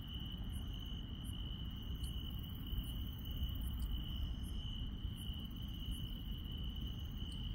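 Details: Insects chirping at night in the countryside: a steady, unbroken high-pitched trill runs throughout, with fainter higher chirps pulsing above it at roughly one-second intervals over a low rumbling background.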